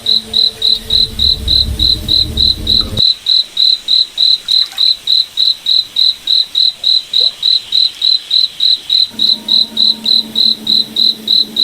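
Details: Cricket at night in a moonlit forest, steady shrill chirps repeating about three times each second; a low rumble and hum sit under the opening seconds, fade, then the hum comes back near the end.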